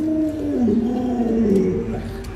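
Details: Pet Alaskan Malamute Luoluo vocalizes in a wavering, warbling howl that dips and rises over about two seconds, sounding like dog "talking".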